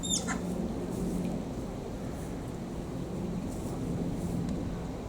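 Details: Malayan tapir named Rin at Tama Zoological Park, Japan, filmed 8 June 2023: one brief, very high squeal that falls steeply in pitch, rich in overtones, right at the start, then only a steady low background hum.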